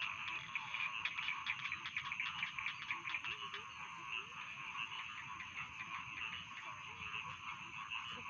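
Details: Rice field frogs calling at night as a bedtime soundscape: a dense, steady chorus of croaking and trilling with fast irregular clicking pulses, about two per second, layered over a continuous high buzzing background.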